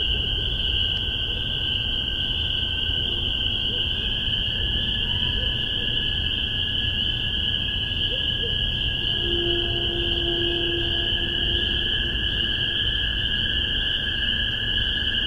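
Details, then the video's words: Spring peepers in a Massachusetts spring 2015 recording made with a Tascam DR-40 and spaced MXL 603 omni pair. Steady shrill peeping chorus throughout, with scattered lower tonal calls and a brief drawn-out low note midway. "Spring Peepers"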